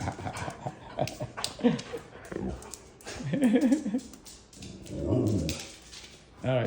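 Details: A Siberian Husky at home, wanting to go outside on a cold day, gives wavering, yodel-like whines and 'woo' sounds that rise and fall in pitch.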